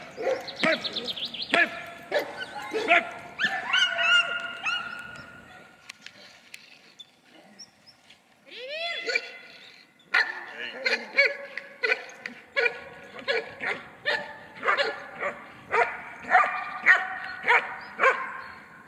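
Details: German Shepherd in protection training, performing the hold-and-bark exercise on a decoy: energetic, dominating barks in dense bursts, a quieter gap mid-way, then regular sharp barks roughly every half second; a man speaks briefly.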